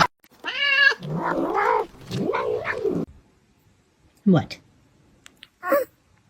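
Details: Cat meowing indoors: a short steady harmonic meow, then two longer arching, wavering meows, followed by people talking and brief sharp noises.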